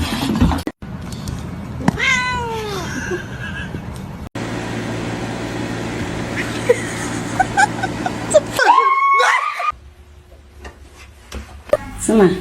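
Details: Domestic cats meowing: a drawn-out, falling meow near the start and another wavering meow later, separated by abrupt cuts, with people talking, laughing and snorting in the background.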